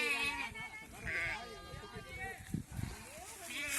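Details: Sheep in a flock being caught for PPR vaccination give wavering, high bleats. Two bleats stand out near the first second and at the end, with men talking and background music throughout.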